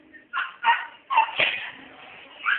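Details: Pet dog barking in a rapid burst of three sharp, rough barks, followed by a softer trailing whine, indoors with a person's voice nearby.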